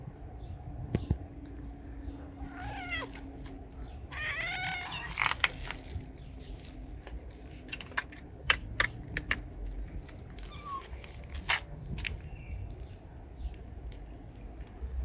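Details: Stray mother cat with her three kittens of different coat colours. A few short harmonic meows come near three and five seconds, with scattered clicks and taps over a low background rumble.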